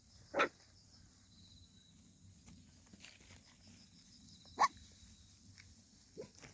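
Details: Puppy giving short, isolated barks spaced several seconds apart, three brief bursts over a quiet outdoor background with a constant high-pitched hum.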